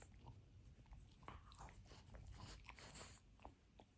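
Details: Indoors, Benedict the Frenchie keeps chewing apart his dinosaur toy, a steady run of crackly bites and wet gnawing with brief sharp crunches over a low rumbling background.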